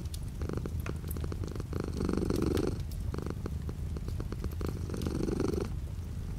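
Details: Domestic cat purring with light rain outside a window: a steady low rumbling purr in cycles, with brighter inhale-exhale swells roughly every three seconds, over soft continuous rain patter and faint clicking drops.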